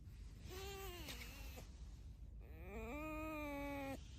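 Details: Two drawn-out tonal squeals come from Alice, a domestic pet fox. The first dips downward, and the second rises and then holds steady for more than a second in an indoor setting.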